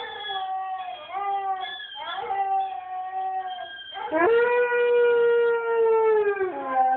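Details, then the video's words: Howling Siberian Husky: several short wavering tones that bend up and down, then a rising swoop into a long, loud sustained note held about two seconds before dropping lower at the end. "Siberian Husky Howl"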